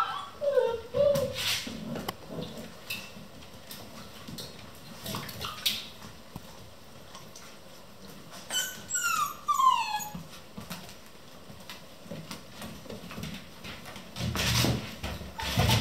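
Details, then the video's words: Eleven Vizsla puppies playing non-stop at 3 am at a kennel: scattered high whimpers and yips, sliding tones and short squeals between thumps and shuffling of play. "11 vizsla puppies play non-stop"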